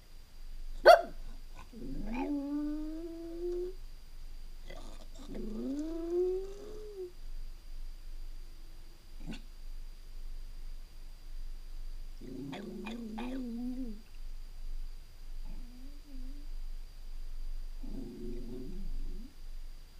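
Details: Jack Russell Terrier left home alone for a few hours indoors, giving drawn-out whining howls that rise then level off. They come in separate bouts of about two seconds with quiet gaps between, plus a short sharp noise near the start.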